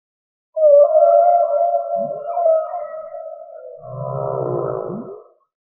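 A whale's long, tonal moan that wavers gently, then breaks into a pulsing, throbbing phrase.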